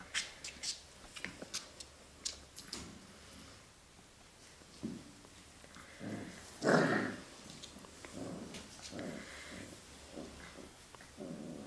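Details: Labrador Retriever puppies in an indoor kennel they are getting used to, 8 June 2015; short scattered yelps and whimpers, then a louder growly burst mid-clip followed by softer grumbling sounds in a small room.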